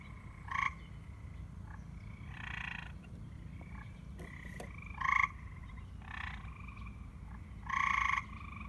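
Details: Several white and green frogs in an abandoned pool at dusk, calling in overlapping short, harsh croaks from different distances, some loud and near, others fainter, roughly one to two seconds apart, with a constant low background rumble.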